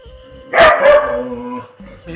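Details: A pet dog barks loudly in the morning: two harsh, noisy barks in quick succession, then quieter sounds fading out. Soft background music plays throughout.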